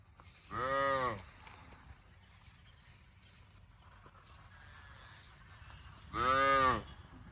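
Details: A cow gives two brief, strongly harmonic moos, one near the start and one near the end, separated by quiet low background noise.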